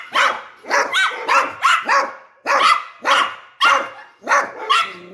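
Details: Dog giving a quick series of about nine sharp barks in five seconds, some paired close together, each bark loud and brief with a harsh, ringing tone.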